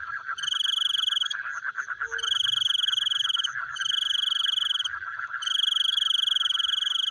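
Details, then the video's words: Frogs at night keep up a rapid, rattling pulsed chorus. High, tonal cricket-like trills enter and drop out in multi-second stretches above them. "The Sound of Frogs Chewing in the Night"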